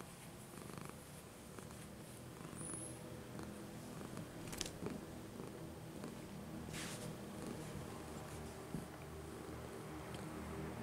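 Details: Janis, a very old domestic cat, sleeping on a bed indoors, purring in a steady low rumble that runs through the whole stretch, with a few faint soft clicks and rustles over it.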